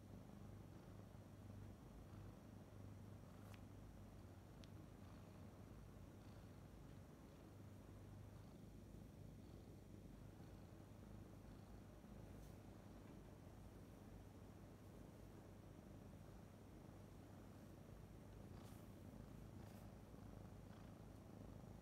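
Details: Relaxed Somali kitten with big ears being gently teased, purring in a quiet, continuous low drone for about twenty seconds, with a few faint clicks and light handling noises.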